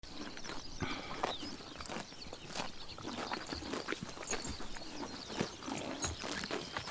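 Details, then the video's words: Horses eating grass on a summer morning in Tuv province, Mongolia, their chomping heard as dense, irregular crunching and tearing clicks, continuous and close, with no calls. "Horses eating grass in summer morning / chomping noises"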